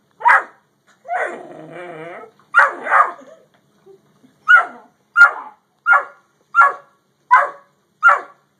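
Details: Dogs, a Great Dane and a yellow Labrador, face off. Sharp barks, one drawn-out harmonic yowl, then a steady run of barks, with music in the background.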